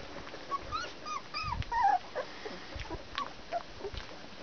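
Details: Nineteen-day-old Border Collie puppies whimpering: high, curving squeals that rise and bend down, several in a row, then a few softer scattered yips against low background hiss.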